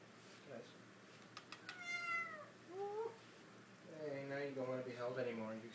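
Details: Young kitten climbing onto a person indoors, giving two short descending meows with harmonics, then a longer wavering mew; a person's voice talks over the end.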